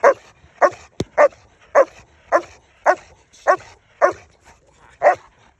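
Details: Estate guardian dog Maserati gives a steady series of loud, sharp barks, about one every half second, with a single click near the start.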